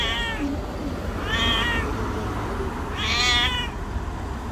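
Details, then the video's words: White cat described as angry and sick, a stray living on the street; three harmonic meows about every one and a half seconds, the later ones louder and rising, over steady low outdoor rumble. "Angry white cat got sick"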